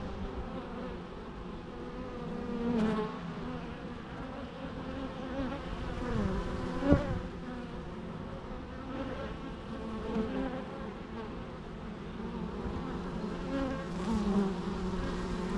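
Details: A long stretch of bee buzzing, a dense steady hum with wavering tones as individual bees drift nearer and away.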